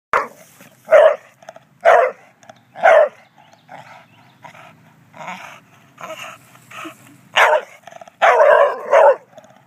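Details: An English Bulldog, said to be jealous of a statue, gives a run of short, hoarse barks and yips at uneven intervals.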